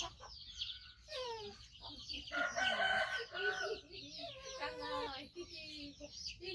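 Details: A rescued 5-month-old male baby monkey, missing one foot from a trap injury, gives loud, harmonic, whiny cries that rise and fall in pitch in uneven bursts while waiting to be fed.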